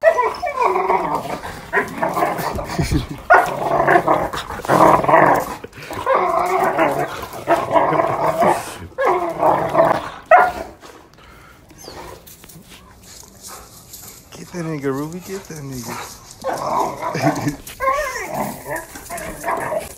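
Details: Doberman aged one and a German Shorthaired Pointer puppy of six months at play, filmed October 2018; steady rhythm of rough growl-barks for ten seconds, then quieter, with wavering whine-like wails near the end.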